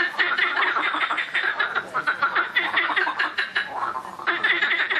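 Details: Noisy frogs calling in a dense, loud chorus of rapid, rattling croaks that overlap continuously, with pulsed bursts repeating throughout and almost no pause.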